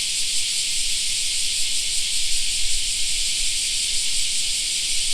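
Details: Summer park cicada chorus, a continuous shrill buzzing wall of sound at constant loudness, with a soft low rumble underneath.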